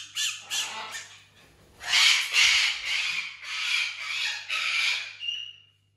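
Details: Pet fennec fox named Tiny, kept indoors alongside other exotic animals and relaxing on a couch, gives a few rasping, shrill squawking bursts that swell and fade, ending in a thin whine.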